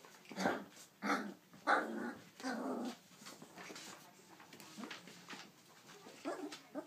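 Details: Siberian husky puppies three weeks old playing together indoors; rough, low growly bursts repeated about once a second, then softer scattered grumbles and squeaks.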